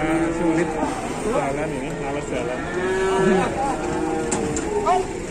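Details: Cattle being unloaded in Indonesia, one huge cow refusing to move: several overlapping low, droning moos with wavering pitch, over heavy background rumble, music and a shouting man.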